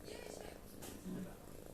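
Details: A domestic cat snoring indoors, sleeping as if worn out after hard work; a low, rough, steady rumble with soft breathy pulses, and a brief human voice at the start.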